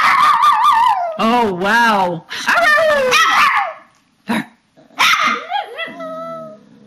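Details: Papillons and a shih-tzu performing their bedtime ritual, March 2007: warbling, wavering howls that bend up and down in pitch, then a short pause and a falling whine with yips.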